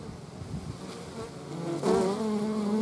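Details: Hornet in the Eifel among wasps and honey bees: a broad rushing background noise at first, then a close, loud, steady buzzing drone starts suddenly and holds to the end.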